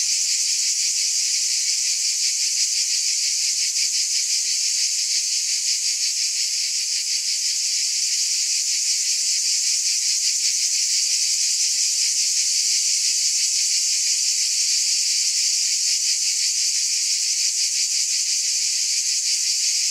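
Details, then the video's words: Unbroken cicada drone: a loud, even, sizzling buzz held high throughout, with a fine fast pulse running through the sound. "Scintillating Cicadas"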